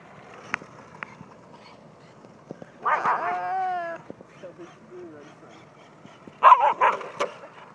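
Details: German Shepherd puppy, not the recorder's dog, playing outdoors in the morning with a TC4 RC car; a drawn-out whining, harmonic yelp near three seconds, soft whimpers, then a burst of sharp barks near six and a half seconds, with a short spoken exclamation.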